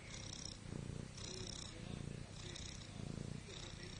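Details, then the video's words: Domestic cat snoring while lying on her back; soft, low rasping breaths in regular pulses about every second, each with a faint hiss higher up, the breathing steady throughout. "Snoring cat"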